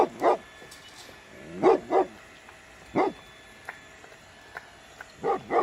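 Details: Puppies at play with their mother dog in an outdoor toy battle: short, sharp barks in scattered bursts, some coming in quick pairs, separated by quiet pauses.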